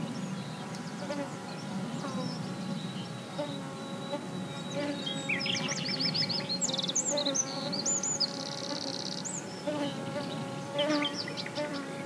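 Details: Busy bees at ground level in sunlight, steady humming drone underneath, overlaid by lively high bird twittering and a trilled song phrase around the middle.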